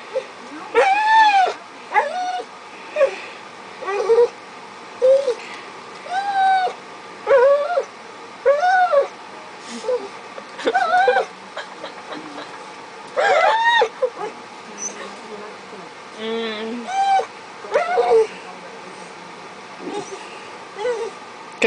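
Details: Domestic dog begging for food, with a second dog present: a long run of high, bending whimpers and short whines, some rising and falling in quick pairs, with a person's voice faintly in the background.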